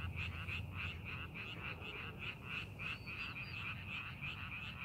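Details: Chorus of frogs in a rice paddy during farming preparation, rapid rattling croaks repeated several times a second, with a brief faint bird-like whistle near the end over low rumbling background.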